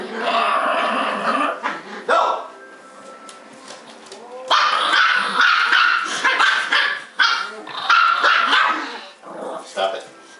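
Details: Pet dogs Trixie (Bichon Poo) and Sophie (Malti Poo) in a non-stop barking bout; bursts of high, sharp yaps alternate with quieter gaps where a human voice is heard.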